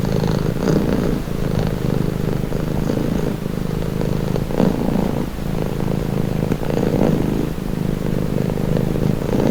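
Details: Pet cat's calming purr, a dense low rumbling drone pulsing gently with each breath, steady throughout with slight rises in loudness.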